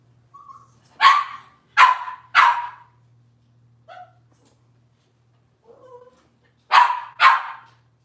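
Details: Cavalier King Charles Spaniel puppies, Robin's litter, filmed by a kitchen camera: three sharp yapping barks close together, a few soft squeaky whines, then another pair of quick barks, with a faint hum underneath.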